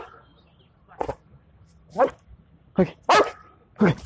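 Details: Belgian Malinois named Rambho, in search and rescue training using breath odour samples to find disaster victims, 19 April 2020: five sharp barks at irregular intervals of about one second, the fourth closely following the third.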